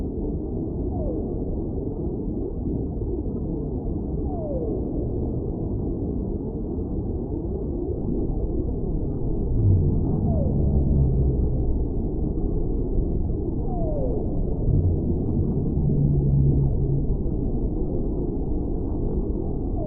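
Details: Whale vocalizing beneath a dense, hissing low rumble: faint falling sweeps recur every few seconds, while deep sustained moans surface twice in the second half.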